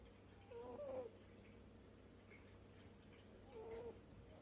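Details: Contented snores of a cat asleep indoors: two gentle whistling breaths, the first slightly wavering and louder, the second softer about three seconds later, over quiet background hum.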